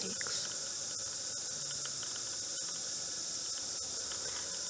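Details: Cicadas singing at 11:30 p.m. on the night of 9 February 2014, unusual for these normally daytime insects; a dense, steady high-pitched hiss-like drone holds without pause throughout, with faint ticks beneath.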